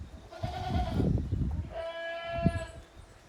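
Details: Playing goat kids in the exercise yard of a goat farm, 30 April 2023: two clear, steady bleats, the second longer and higher, over low rumbling thumps of hooves.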